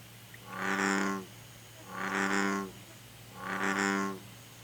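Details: American bullfrog calling in Korea; three deep, resonant, drawn-out croaks about one and a half seconds apart, each a droning rumbly note lasting nearly a second, over a steady low background hum.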